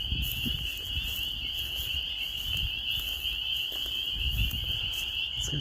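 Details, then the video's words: Spring peepers calling in spring in rural Maine, a dense chorus of many frogs merging into a steady high-pitched shrill peeping band, with low rumbling wind and handling noise underneath. "Peepers until further notice"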